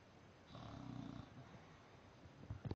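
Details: An English Bulldog snores with a deep, rattling, low rasp on a long breath while napping upside down.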